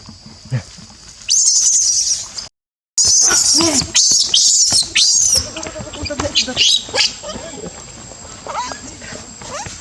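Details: Baby Barbary macaque at Monkey Forest crying: loud, harsh, high-pitched screaming bursts with a brief gap, then shorter squeaky cries fading over several seconds, with faint voices in the background.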